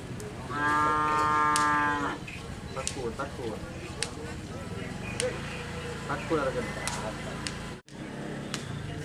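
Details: Madura cattle at a karapan sapi bull race training session on the Asemanis field, Madura, East Java, Indonesia: a loud, steady, harmonic moo-like bellow of about one and a half seconds, then crowd chatter, sharp clicks and background noise.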